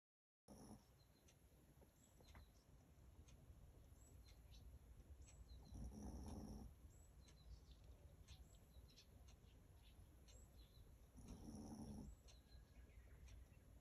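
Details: Simon, a Chihuahua and the father of a Chihuahua family, snoring while fast asleep: soft, breathy low rumbles swell roughly every six seconds over a steady hiss, with faint high chirps in the background.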